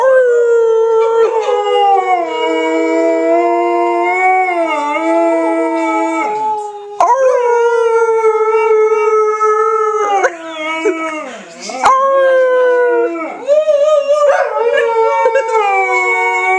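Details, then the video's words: Pet Alaskan Malamute Trixie joins her owners in a howl, holding long, sustained wavering notes that rise at each fresh start, broken by brief pauses for breath, with several overlapping voices throughout. "Alaskan Malamute Howling"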